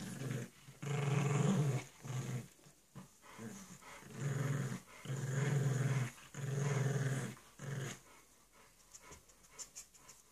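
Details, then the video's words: Playful growling from a bulldog puppy and a pug at play, low throaty rumbles in uneven bursts over about eight seconds with panting, then quieter huffs and light clicks toward the end. "Bulldog puppy and pug playing"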